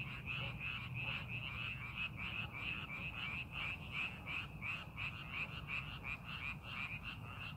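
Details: Many frogs croaking together in paddy fields during farming preparation in the countryside: fast, regular, buzzy pulses run without pause throughout, over a faint low-pitched background rumble.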